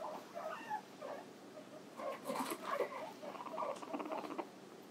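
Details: Pet guinea pig, called Hi-chan, kept indoors. Soft, faint chirping squeaks come in short irregular bursts over a steady background hiss, with small pattering noises in between.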